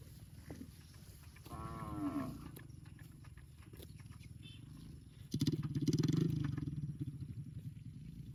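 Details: Cow mooing in a park: a short wavering harmonic call around the second mark, then a longer, deep, low moo lasting nearly two seconds, over a steady low rumble in the background.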